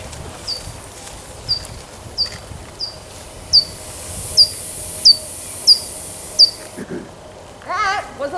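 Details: Little brown bat calls picked up by a bat monitoring station at Schmeeckle Reserve and played back: a steady series of short, high chirps, each sweeping sharply downward.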